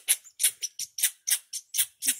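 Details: Startled, angry squirrel on Deer Mountain, met on a descent from 10k feet, giving loud, harsh, clipped barks roughly every quarter second in a steady scolding series.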